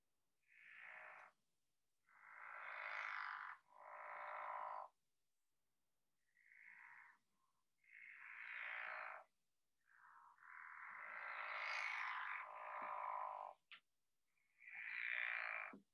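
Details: A pickerel frog emerging in early spring gives long, rasping snore-like bursts, each lasting a second or more, longer than a leopard frog's snores, with a little spring peeper at the end.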